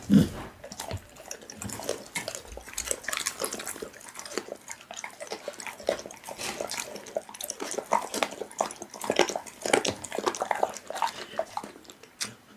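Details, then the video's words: Pit bull eating raw meat, close wet chewing and biting: dense irregular smacking and squelching bursts through the clip, indoors in a small room. "Pitbull eating raw meat Asmr"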